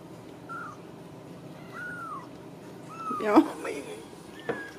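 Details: Ragdoll kittens indoors at a home cattery in central Kansas with their mother nearby; several thin, high, arching mews rise and fall, with a woman speaking softly and some handling noise.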